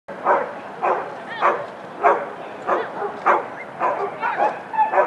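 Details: Keeshond at an AKC dog show of a Keeshond club in Southern California, December 2011, competing in a Standard class: short, sharp mid-pitched barks repeated roughly every half second, about nine in a row, over a soft background hum.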